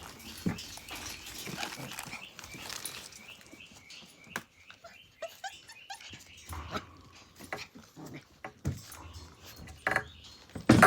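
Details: Australian Cattle Dog puppies, Blue Heelers from Tin Roof, playing together: scattered short high whimpers and yips, a few gruff little barks, with rustling and bumps of movement between calls and a sharp knock at the end.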